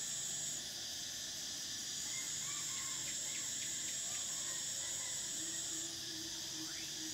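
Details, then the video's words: Summer cicada chorus, an unbroken piercing high buzz that shifts in strength near the end, while soft chirps and brief whistled notes sound faintly in the background. "Cicadas: the sound of summer"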